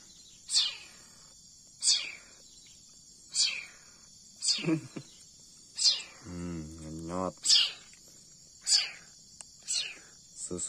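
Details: Hand-reared leopard cat kitten during milk feeding, crying in thin, piercing, falling squeals repeated roughly every second and a half, about nine cries in all, with a man's voice speaking briefly in the middle.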